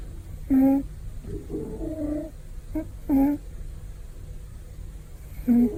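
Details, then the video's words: A male house cat snoring loudly during a comfortable nap indoors: short, voiced, buzzy snores repeating roughly every two to three seconds, with softer breathing between them. "Cat snoring taking a happy nap ねこのいびき 幸せそうなお昼寝"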